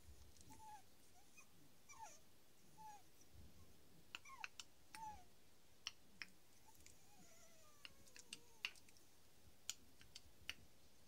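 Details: Three-week-old teething Staffordshire Bull Terrier puppies, awake after drinking milk, give soft, high whimpers and thin squeaks, some sliding downward in pitch.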